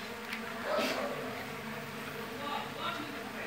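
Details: Mandaçaia stingless bee (Melipona quadrifasciata) colony, very populous with big brood discs, during colony division; continuous dense buzz with a brief louder surge near the start, quiet human voice in the background.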